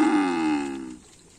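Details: A Karapan sapi bull-race animal at training on Lapangan Asemanis field with teams Konduk Alas Predator and Korban Perasaan gives a single strong, even-pitched lowing moo lasting about one second before cutting off to near silence.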